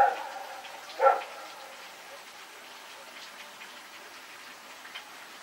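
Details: Rex the dog running around at night on September 21, 2018, giving two short barks about a second apart, the first cut off at the start, followed by several seconds of quiet background hiss.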